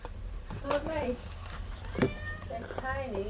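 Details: Cats at a rescue sanctuary waiting to be rehomed, giving several short, bending meows while a woman speaks softly to them indoors.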